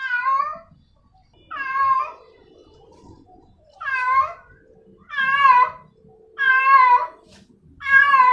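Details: Female cat calling a male cat: six strong, harmonic, slightly quavering meows at roughly one-and-a-half-second intervals, with faint low background rustling between them.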